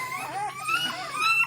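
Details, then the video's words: Fifteen-day-old Basset Hound puppies making puppy noises while their mother is away, she will be back for another feeding; overlapping thin high whines and squeaks rising and falling continuously through the short stretch. "don't worry they're just making puppy noises mama's right here she'll be right back in for another feeding"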